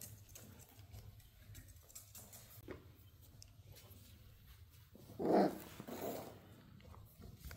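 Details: Dachshunds at play inside a small room give a single short, gruff bark-growl near the end, followed by a softer grumble, over quiet room noise and light movement.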